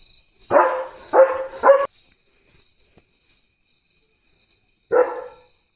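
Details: Pet German Shepherd, male, barking at another dog spotted outside during his early-morning barking duty: three quick loud barks in a burst, about three seconds of silence, then a single final bark.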